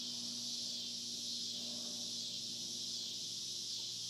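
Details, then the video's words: Steady shrill drone of cicadas on a farm, continuous high buzzing with gentle pulsing, accompanied by a faint low mechanical hum. "Recording of cicada sounds"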